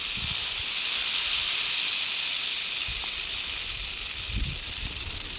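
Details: Western diamondback rattlesnake poised and ready to strike, giving a steady, unbroken high hissing buzz that holds the whole time, with a few low thumps underneath.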